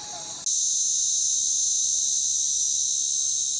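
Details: Cicada (rahaiya) calling by a road near Anuradhapura, Sri Lanka, a small insect making a loud sound; after a brief quiet start, a sudden intense, unbroken shrill buzzing begins and holds steady at a very high pitch to the end.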